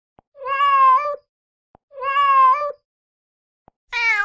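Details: A mother cat calls her kittens with three even meows, each near a second long and steady in pitch, the last one brighter and higher, with faint clicks in the gaps.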